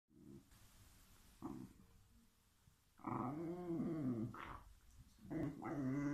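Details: Two pet whippets arguing over a bone: short low growl at first, then a long rumbling, wavering growl from about three seconds and another rising snarl near the end, with quiet pauses between.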